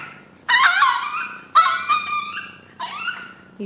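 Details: Chino, a hungry Chihuahua, cries before breakfast: three high, wavering whines with bright harmonics, each sliding up then falling, spaced about a second apart with quiet gaps between.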